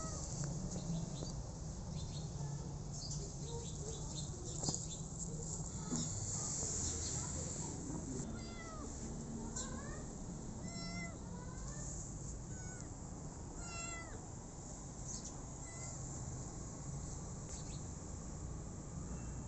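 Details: A rescued street kitten gives faint, thin mews scattered through the middle stretch, partly buried under loud broadband noise and low rumble.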